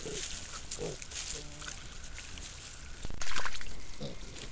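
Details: Wild boar sow with her piglets caught by a trail camera in a Sologne forest, France: a few short, soft grunting squeaks in the first second and a half, then a louder rustling thump near the end amid leaf litter noise.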